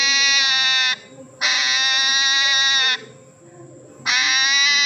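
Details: Hedgehog crying like a baby: three loud, long, steady wailing cries, each lasting about one to one and a half seconds, separated by short quiet gaps.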